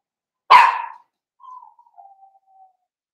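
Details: Blenheim Cavalier King Charles Spaniel puppy in a home puppy pen, one of a litter of five: a single sharp, high bark followed by a few faint, thin whimpering tones that trail off.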